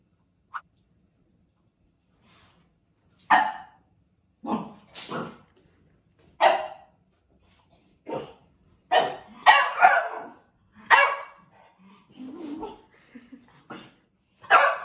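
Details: Male pet French Bulldog reacting to a picture of another French Bulldog, giving short, sharp barks spaced irregularly over about fifteen seconds, some in quick pairs, with quiet pauses and low grumbling between.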